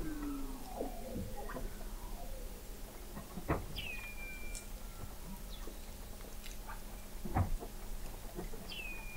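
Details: Weddell seals recorded in November 2017 by the McMurdo Oceanographic Observatory, 21 m below sea ice in McMurdo Sound, Antarctica; scattered faint descending whistles and trills over a steady low rumble and clicks.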